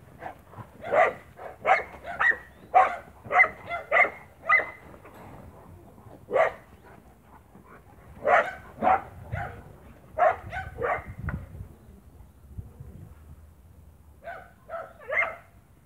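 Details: Spanish Mastiff on a farm, 1 October 2017: deep, loud barks in quick bursts, often two or three close together, resting briefly around six and twelve seconds before resuming; no other clear sounds.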